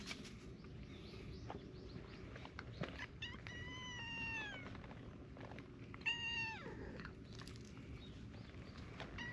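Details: Cats gathering around a small tortoiseshell kitten, with affectionate adult cats joining in. Two drawn-out, harmonic meows fall in pitch, the second starting higher and sharper, over a steady low outdoor rumble.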